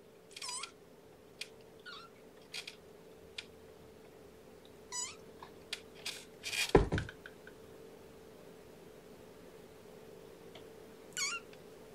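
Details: Kitten Amber climbing over her sleepy siblings after weigh-in, one of five kittens born April 14th to mother Gamora; several thin, high squeaky mews at spaced intervals, a rustling bump near the middle, faint steady hum behind.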